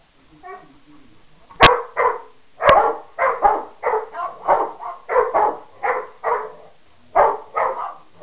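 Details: Three pet dogs, a Peke mix, a Rottweiler and a Mastiff/Pitbull mix, bark back and forth at one another in a rapid, overlapping series of sharp barks, about fifteen in eight seconds, with brief pauses between bursts.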